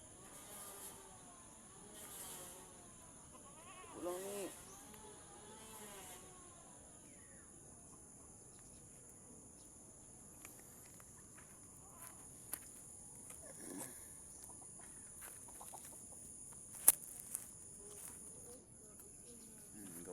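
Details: Mother goat struggling to give birth while being helped to pull out her kid; a few short wavering bleats early on, then quieter stretches with human voices, rustling and a steady high electrical whine.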